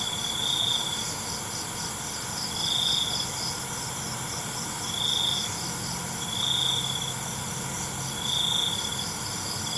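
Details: At night, crickets sing short, piercing trilled bursts spaced roughly every two seconds, with a faint steady insect drone filling the background.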